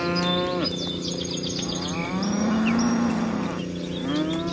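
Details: Herd of dozens of cows in a meadow: a short moo opening, then a long low lowing that rises slightly, followed by another moo at the end, over chirping birds and steady hum.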